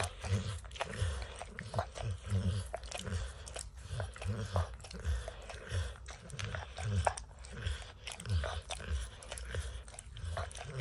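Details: Licking and snacking on peanut butter and kibble from an orange mat, Max the dog makes rhythmic wet laps about twice a second, deep and thumping, with light clicks on top.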